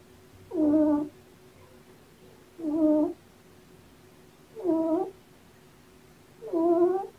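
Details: Sleeping black male kitten, one of a litter of three born November 22 and surrendered with their mother, snoring indoors: four harmonic, wheezy snores, each under a second, repeated about every two seconds, in a quiet room.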